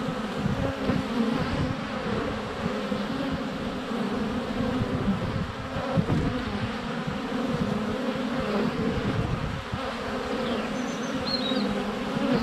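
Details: Honey bees filmed up close at the hive entrance in February sunshine with a GoPro; unbroken layered humming of many flying bees, occasional soft bumps, and brief faint birdsong chirps toward the end.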